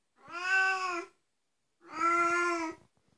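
Two drawn-out, nasal meows from an Oriental cat, each lasting roughly a second with a steady tone and a slight rise at the end. A brief pause separates the calls in a quiet indoor setting.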